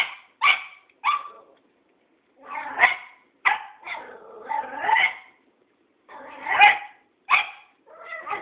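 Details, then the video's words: Tara, a Cairn Terrier, barks at Thoman, an old tomcat; irregular, high barks, some clipped and some drawn out into yelping, harsh calls, spaced about a second apart. "Tara the Cairn Terrier vs. Thoman old tomcat"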